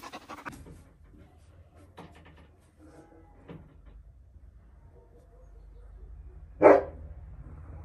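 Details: Dogs at a Romanian-language rescue offering saved dogs for adoption, among them Caucasian and Mioritic shepherds and strays: a few soft huffing breaths, then one loud, sharp single bark near the end against a quiet background.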